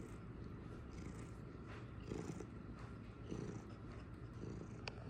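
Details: Domestic cat purring in a home: a continuous low, rumbling vibration that stays steady throughout, with faint soft room noise and an occasional tiny click.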